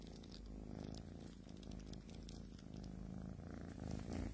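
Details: Small domestic cat purring close up indoors: a steady, low, rumbling purr with rapid even pulses, continuous throughout, growing slightly louder toward the end.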